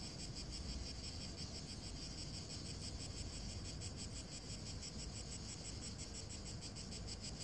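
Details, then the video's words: In hot weather over dry grass, cicadas chirr in a continuous shimmering high buzz with fast regular pulsing, steady in loudness for the whole stretch, above a low rumbling background. "chiar das cigarras"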